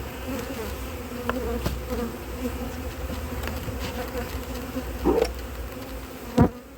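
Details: A drone-laying honey bee colony, checked during a cold spell in 2024 after failed first matings on splits, gives a constant low droning hum with a steady overtone; brief bits of speech surface near the end.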